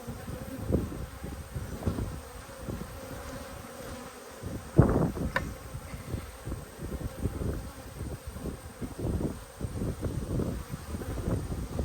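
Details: Honey bees at an open hive during a beekeeping inspection on 19/3/22, colony headed by a newly mated queen; steady low colony hum with frequent knocks and handling bumps from the frames, one sharper clack midway.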